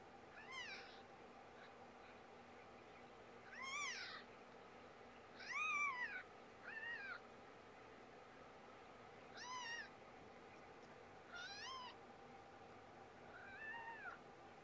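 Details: Repeated cat meows, about seven rising-then-falling calls with bright harmonics, some drawn out and loud, others brief and softer, separated by pauses of one to two seconds against constant low background hum.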